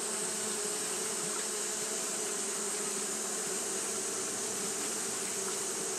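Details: Japanese honey bees fanning continuously on a hot day, a dense steady hum with a low drone band and a bright hissing layer high above, unbroken throughout.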